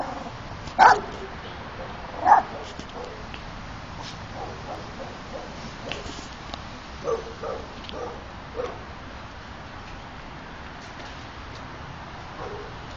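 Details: Miniature Pinscher in Puerto Rico giving two loud, abrupt barks close together early on, followed by fainter scattered sounds and soft background noise through the rest.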